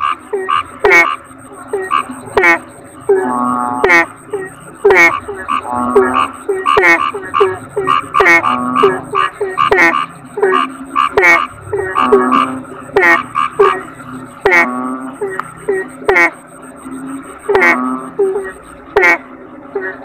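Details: A chorus of toads, known locally as kodok bangkong, gives rhythmic, resonant croaks in short bursts, with occasional longer rattling notes and sharp click-like accents recurring through the steady group calling.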